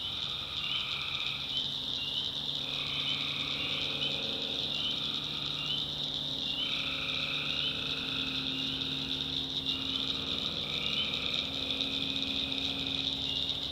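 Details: Night chorus of tree frogs in a swamp in the North Carolina backwoods. Trilled calls roughly one to two seconds long repeat every few seconds, layered over a constant shrill high chorus and a soft low drone.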